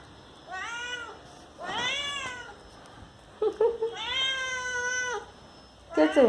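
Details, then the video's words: Pet cat asking for the door to be opened, giving long wailing meows that rise and fall, about four calls in six seconds, with a woman's voice speaking Hindi briefly in between. "Laalu Meowing 🐈 Open The Door Please"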